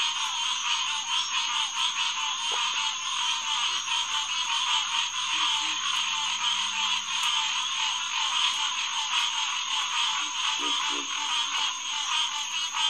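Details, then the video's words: Night chorus of green tree frogs, Hyla cinerea, at SMNWR's Headquarters Pond on June 2, 2021, 9:10 pm. Many frogs call at once in a steady, loud mass. A low steady hum runs underneath for the first eight seconds, and occasional deep grunts sound. "Green Tree Frog Chorus"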